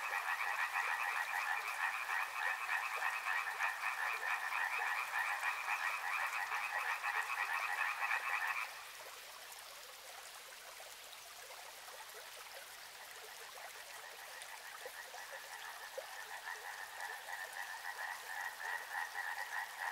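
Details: Frogs near a river: a loud, pulsed croaking chorus stops abruptly after eight seconds. Quieter running water follows, then a softer chorus of rhythmic rattling trills gradually returns and grows louder.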